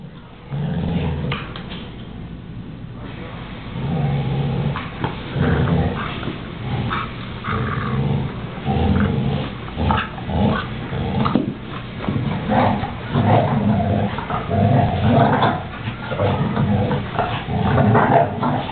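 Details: Two male American Staffordshire Terriers growling while tugging a toy: low, rough, rumbling growls in irregular bursts that swell and fade, with a quieter opening and some scuffling and soft whimper-like sounds between bouts.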